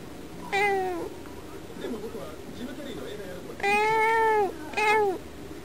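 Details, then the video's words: Domestic cat at a window, vocalizing at birds outside. One short meow, a quiet gap with soft murmuring, then a long drawn-out meow followed quickly by a shorter one. "猫のいろんな声 - Various meow scenes of my cat."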